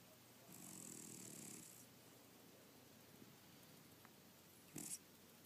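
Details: A sleeping cat snores once, a single soft rasping breath lasting about a second, followed by near silence and a brief faint click near the end.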